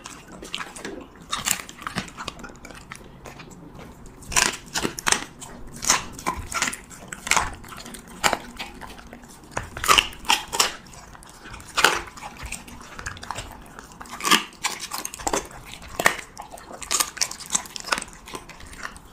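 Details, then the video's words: A Siberian Husky chews cheese meat close to the microphone for an ASMR mukbang, producing sharp crunching bites in uneven bursts, some loud, separated by short quiet gaps. "[ASMR MUKBANG] HUSKY REVIEWING CHEESE MEAT"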